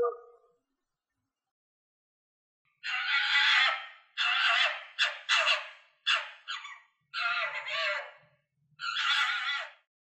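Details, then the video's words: Red fox giving a run of hoarse, broadband screeching shrieks, some short and choppy, others drawn out, after a brief lower cry at the start; the background is silent between calls. "Real Sounds of Foxes Screaming, Barking and Laughing"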